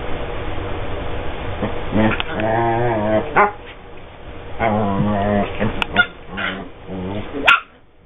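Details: Two pet dogs playing together and vocalising as they play: harmonic, moaning growl-talk in several drawn-out bursts, rising and falling, with sharper yips between and a brief high squeak near the end.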